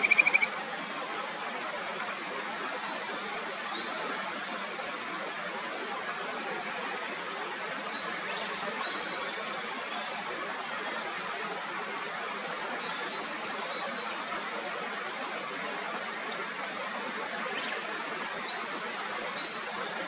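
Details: Kajika frog chorus from the clear upper Natori River, Sendai, Japan: scattered clusters of high, brief whistled notes recur throughout, set against an even wash of flowing stream water with a short louder burst at the start.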